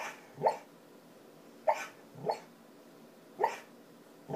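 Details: A deeply sleeping 3-year-old female Border Collie talking in her sleep with very light barks. Five soft, muffled woofs come at irregular gaps of about one second, in a quiet indoor room.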